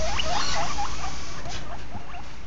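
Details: Morning guinea pig calls: a quick string of short, upward-sliding squeaks and chirps, repeated every fraction of a second over low background hum.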